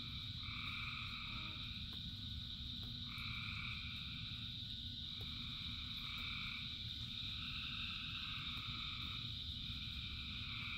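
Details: A chorus of thousands of frogs in rain: a steady shrill background drone, with two-pitched trilled calls recurring roughly every one to two seconds, and heavy rainfall noise throughout.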